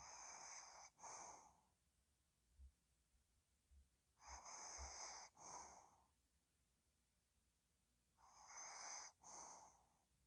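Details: Ttochi, a pet dog, snoring while asleep: three breathy, wheezy snore bouts about four seconds apart. Each bout is a pair of hissing bursts separated by quiet pauses, with faint low thumps.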